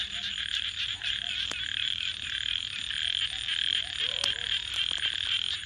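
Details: After dark, frogs keep up a continuous shrill, trilling chorus while a campfire crackles, with several loud snaps from the fire standing out above the calling.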